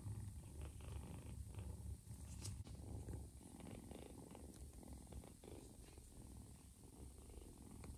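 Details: Nursing mother cat with an adopted ginger foster kitten; quiet, steady low-pitched purring rumble runs throughout, with light handling noise above it.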